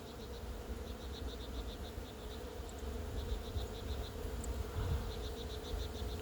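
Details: Thousands of Western honey bees (Apis mellifera) swarm a single plum tree in full blossom, giving a steady, droning buzz with low wind rumble and faint high chirps behind.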